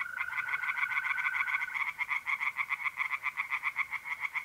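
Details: Singing tree frogs in an April night pond chorus, north-east Italy. Loud, fast, rhythmic rasping pulses run steadily throughout, several per second. A smooth, continuous mole cricket trill sounds beneath them during the first couple of seconds.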